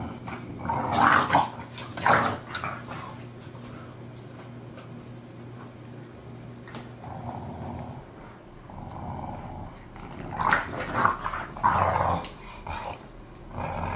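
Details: A pair of bored pet bulldogs, Khan and Ali, grumble and growl indoors: a cluster of gruff sounds in the first three seconds, a long quiet stretch, then more growling between 10 and 13 seconds.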